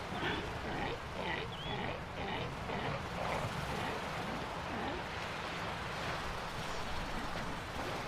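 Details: Galapagos sea lions on the beach at San Cristobal Island, Galapagos, Ecuador, give rough, grunting barks in quick bursts over a steady roar of surf.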